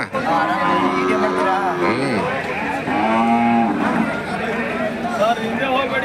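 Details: Hallikar cattle at the KG temple cattle market on 24 November 2025: two drawn-out, low, tonal moos, the second one falling, over constant crowd chatter and men talking nearby.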